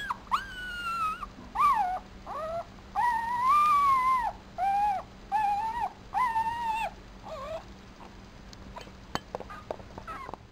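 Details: Four-day-old Papillon puppy, male, lying in a black dress shoe, giving a series of high, arching whimpers and squeals about once a second, then quieter faint sounds toward the end with a few clicks.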